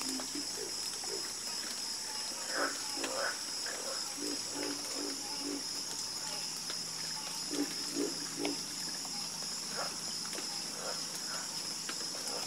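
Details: Harmonious frog croaking: clusters of deep, rapid croaks repeat irregularly, with multiple frogs answering one another. A steady high ringing drone, like insects, sits over the chorus.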